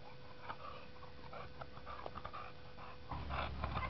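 An English Bulldog yawns with a drawn-out, groaning exhale among snuffling breaths.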